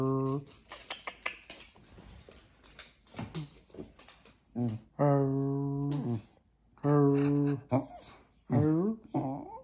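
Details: Jack Russell Terrier indoors appearing to 'talk' to its owners: drawn-out, tonal moaning vocalisations, some steady and some wavering, in several bursts separated by pauses, with softer grumbles and shuffling sounds between them.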